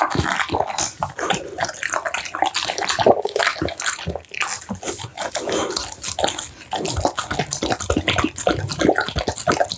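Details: American Bully devouring steamed pumpkin, duck meat, tofu and dried vegetables: crisp wet clicks, tongue smacks and squelching chews tumble in rapid, uneven sequence from start to finish.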